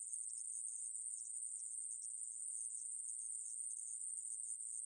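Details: High, thin, uninterrupted buzzing of a conehead katydid (애매부리), a 2020 National Institute of Biological Resources recording, steady in pitch with faint rapid flutters and nothing else heard.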